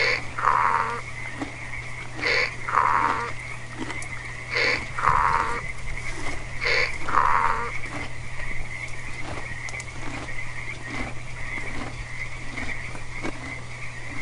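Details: Domestic donkey braying in a seesaw hee-haw: harsh breathy inhaled wheezes alternate with lower tonal honks, each cycle roughly two seconds, for about eight seconds before fading; a steady low hum and faint croaking continue throughout.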